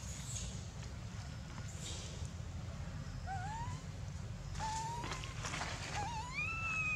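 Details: Baby monkey named Dito screaming loudly for milk that it is not getting, biting Anya; from about three seconds, several tonal, rising-then-wavering cries sound over a steady low rumble, the last one long and high.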